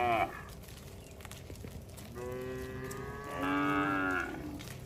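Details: A herd of cattle wandering on a road. Two drawn-out, tonal moos follow a brief call at the start, the second louder and held for about a second, over low road noise.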